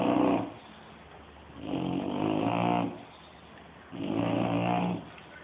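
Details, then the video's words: Loud snoring from Shelby the bulldog during sleep: three long, gravelly, harmonic rumbles about two seconds apart, nearly growl-like, with quiet gaps between breaths. "Shelby The Snoring Bulldog"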